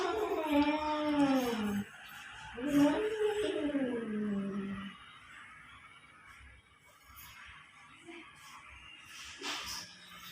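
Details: Cats quarrelling outside a home give two long, wavering moans that bend upward then slide down, each lasting about two seconds, before fading into quieter background noise with a faint click near the end.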